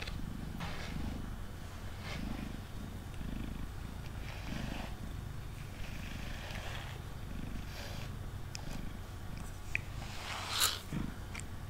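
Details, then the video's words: Continuous low purring from Mango, a male house cat resting on a table during brushing, swelling in rhythmic pulses about once a second, with swishing brush strokes and a sharp click near the end. "Cat Purring & Brushing Sounds"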